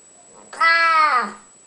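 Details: Old, ailing pet cat Spocky answers when offered real food indoors, giving a single loud, steady meow of nearly a second that starts abruptly and fades with a slight downward slide; a quiet room around it.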